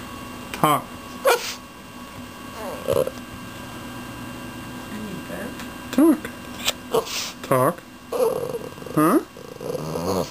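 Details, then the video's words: Male Boston terrier doing his "talking" whine to ask for things, interrupted by sneezes and yawns; short rising-falling whines and yelps come in scattered bursts, with sharp sneeze noises between them. "Beef Sneezes While Trying to Talk"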